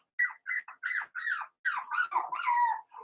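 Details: Cavalier King Charles Spaniel puppies, four weeks old, in an indoor pen, a run of high whining squeals in short separate bursts, then longer wavering whimpers that slide downward toward the end.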